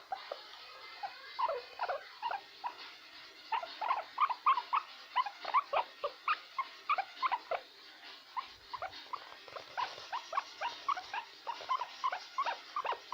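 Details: A male guinea pig kept as a pet gives repeated "krrrr" calls, a string of brief burbling, squeaky-edged pulses in uneven bursts, a few per second, almost unbroken across the recording.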